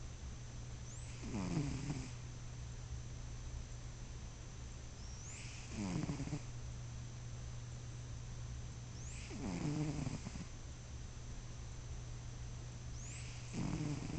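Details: Bruschi the cat snores in his sleep, four rough, rattling breaths evenly spaced about every four seconds, each with a brief airy hiss on top, steady electrical-sounding hum beneath.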